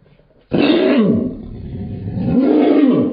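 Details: A small Maltipoo, angry because the owner is holding something else, gives two harsh, rumbling growls that rise and fall in pitch, sounding surprisingly fierce, like a lion or bear.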